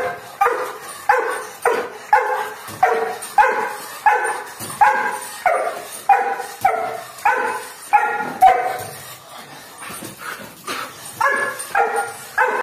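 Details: A Doberman guarding its home, barking steadily in short deep barks roughly every half second to second, with a brief lull near the end before the barking resumes.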